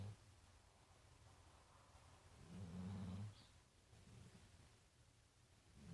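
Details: Big brown dog named Marley, tired and sleeping at The Funny Farm; one deep, buzzing snore swells midway, then quieter breathing.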